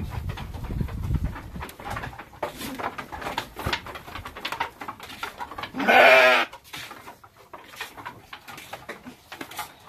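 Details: Texel and Merino sheep kept as farm livestock; one loud, wavering, nasal bleat of about half a second midway, set among steady knocking, rustling and shuffling pen noises before and after.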